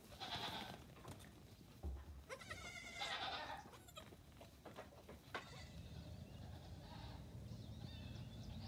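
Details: Nigerian Dwarf goat kids, between three days and two weeks old, playing on a farm in the morning; a few clear wavering bleats early on, including a long tremulous cry near three seconds, then quieter shuffling and thumps.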